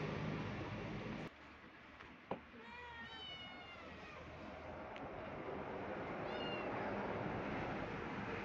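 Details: A kitten or cat in a cat family with a mother angry because the kitten wants to play gives two short, thin, wavering meows. A steady engine-like hum runs underneath and there is a sharp knock early on.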